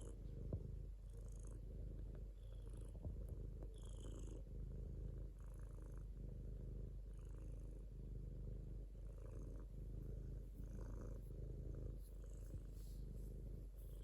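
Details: A domestic cat keeps up a deep, even purr, the low rumble swelling and easing in regular breath cycles about every second, with light breathy hiss on some cycles.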